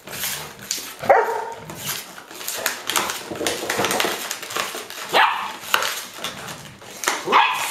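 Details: Indoor scene from Haute-Savoie, France, October 2013, of a five-year-old Golden Retriever grandmother with six lively 7-week-old grandpuppies chasing her bottle toy; squeaky rising yips and short barks break out every few seconds over scuffling.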